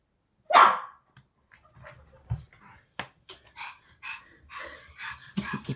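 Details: Pomeranian Bonnie "El Chupo" on a sofa indoors, reacting to a strange sound with a single loud, sharp bark, followed by softer snuffling, huffs and small whines in a quiet room.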